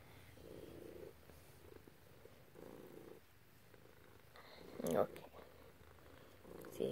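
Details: Cat purring under its owner's petting, one of two cats, black and grey; faint pulsing purr in slow swells, broken by a brief louder rustle or voice near the end.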